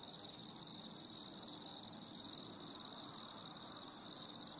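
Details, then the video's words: Crickets chirping on a stormy summer evening, a bright continuous high trill with loosely repeated pulses near two per second, overlapping voices forming an unbroken chorus. "CHANT GRILLONS"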